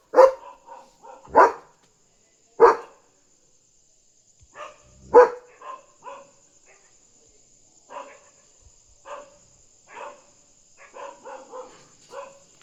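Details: Night-time guarding German Shepherd protecting its territory from a dog outside: three loud, spaced barks, then a long string of softer, irregular woofs and shorter barks continuing to the end.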